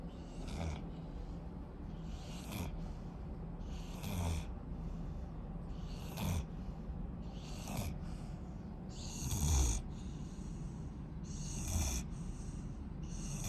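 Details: Rottweiler puppy asleep, snoring in low, rough breaths with breathy hissing bursts roughly every two seconds, the rhythm slightly uneven.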